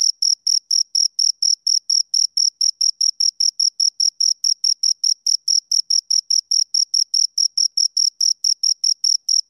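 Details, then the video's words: Two crickets chirping close up: a high, steady stream of short pulsed chirps, roughly two to three per second, evenly spaced with a clean upper harmonic and nothing else heard behind them. "Two Crickets Chirp Sounds"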